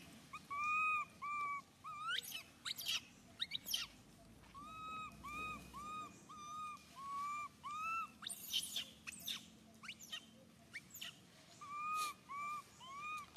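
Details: Baby monkey Suca crying out loudly, hurt when Susan grabs him: repeated clear, tonal wails, each with a flat or slightly falling tone, broken by sharp, rising squeals and short shrieks.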